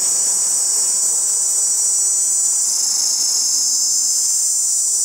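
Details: A chorus of male cicadas sounding with their tymbals to attract females: a dense, unbroken high-pitched hiss-like drone at constant loudness, slightly shifting in tone partway through, with no other clear sounds.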